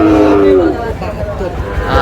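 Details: Sahiwal bull calves, part of a herd of about 24 assembled by a farmer in Sylhet, Bangladesh, 22 May: a short, slightly falling moo opens the clip. Steady background crowd noise follows, with faint lowing near the end.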